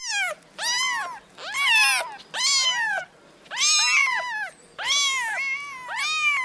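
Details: Kittens give a rapid series of about seven high meows, each bending up and then down. Some calls overlap slightly, as if more than one kitten is calling, over a faint background hiss.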